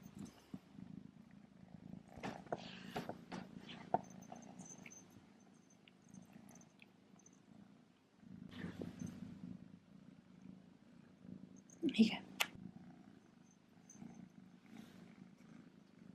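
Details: Male kitten Remi (Rembrandt) purring while wearing his first collar with a bow and bell; a steady low purr runs throughout, broken by clicks, rustling and brief bell jingles.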